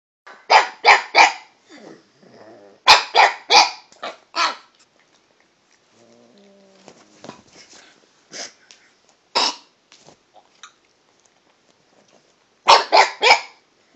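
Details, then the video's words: Toby, a pet dog, chatty and trying different pitches while barking at a cat: bursts of two to four sharp, harmonic barks separated by quiet gaps, with soft whines and low grumbles in between. "Toby talking to the cat"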